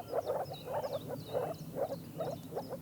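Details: Male moor frogs give soft, muffled, bubbling croaks in quick succession in the water during their brief one-to-two-day spring mating season in the Bargerveen, when males turn bright blue.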